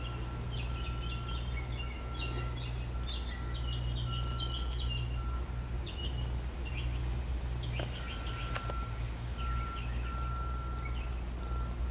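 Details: A mother squirrel gives soft, rattling bursts like lightly shaken maracas, repeated over a steady low hum.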